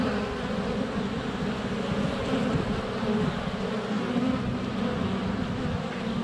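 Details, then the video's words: Many honey bees swirl around a GoPro Hero 7 Black set under a foot from the hive entrance on a sunny February day; unbroken, rich low hum with wavering wingbeat tones. "4K Honey Bees - ambient video and audio"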